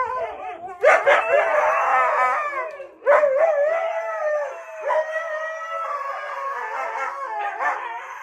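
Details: Siberian Husky giving a long, sustained howl with yips, wavering and sliding in pitch, restarting loudly about every two seconds, filling the whole recording indoors.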